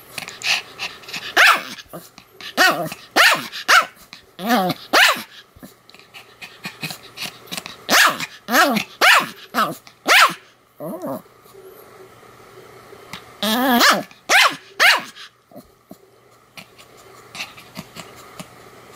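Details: Pomeranian named Sam barking continuously, recorded 7 October 2015: sharp, high yapping barks come in quick irregular bursts, several a second at times, with short quiet gaps between runs.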